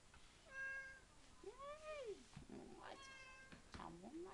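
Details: Indoor domestic cat eager at feeding time, giving a flat steady meow followed by a longer arched meow that rises then falls, then shorter chirping meows, with a woman speaking French over the end.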